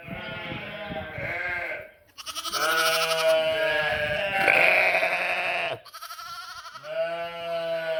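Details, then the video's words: Bleating sheep and lambs: a shorter wavering bleat, then a long loud tremulous one of over three seconds, and after a brief break further overlapping bleats from more than one animal. "Funny sheep and cute lambs bleating, making noise"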